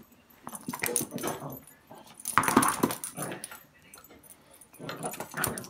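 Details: A Yorkshire terrier barks in short, harsh bursts, with a cluster near the start, a louder run in the middle and another near the end, separated by quieter gaps.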